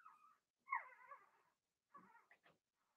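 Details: Blenheim Cavalier King Charles Spaniel puppies from Remy's first litter of six, born March 7–8, in an indoor puppy pen during potty training; high harmonic whines and whimpers, one long wavering cry, then short broken squeaks.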